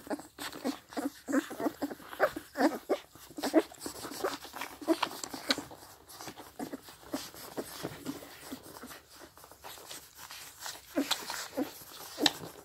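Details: Sixteen-day-old Scottish Deerhound puppies, seven together, drinking from their mother; rapid moist smacks and slurps fill the recording, a few faint squeaks, and slight background noise underneath.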